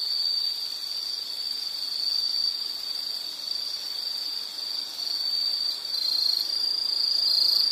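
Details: A continuous high, shrill insect trill holds steady, swelling and dipping slightly in loudness; a faint low hum sits underneath.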